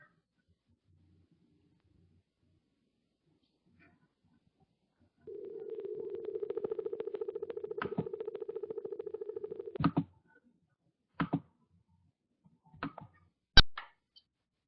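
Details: A minke whale gives a steady, low, buzzing tone of about four seconds, then some sharp clicks and knocks; this is the song minke whales use to communicate with each other.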